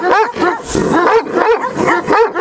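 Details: Central Asian Shepherd Dog, a female Turkmen Alabai under a guard test of territorial instinct, gives a run of sharp, rising-and-falling barks, roughly three per second, with a rougher noisy burst midway.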